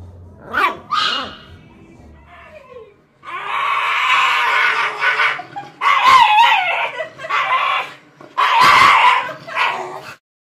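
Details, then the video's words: Shiba Inu letting out loud, harsh, drawn-out screaming cries in three long bursts after a couple of brief yips at the start, noisy and raspy in tone. "EVERY SOUND A SHIBA INU MAKES IN UNDER 2 MINUTES.."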